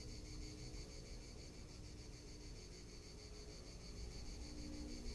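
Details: A summer cicada chorus in Tuscany: a fairly quiet, steady high-pitched shrill with fast regular pulsing, set over a soft low rumble of wind and distant background noise.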